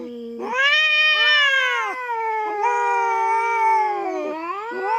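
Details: Feral cat with a full tail and big build, intruding on farm cats' territory in the Philippines and facing off with a black cat; two loud, drawn-out harmonic yowls overlap, rising and falling, wavering and sustained throughout.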